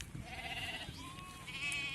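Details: Sheep in a flock being treated and vaccinated against PPR one by one, goats kept apart nearby; a drawn-out, steady bleat held for nearly a second, then a second slightly rising wavering bleat, over low outdoor rumble.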